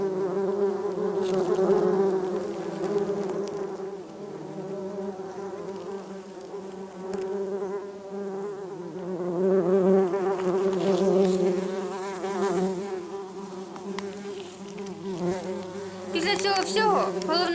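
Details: Bumblebees settling back onto their nest and cocoons after a disturbance. A steady, low, droning hum of several insects, swelling and fading in loudness, with brief higher scratchy noises near the end.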